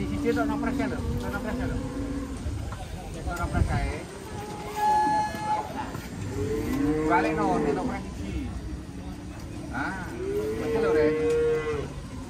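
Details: Raging cow that is afraid of water and ends up being carried gives drawn-out, harmonic moos that rise and fall, several in a row, with music and people talking in the background.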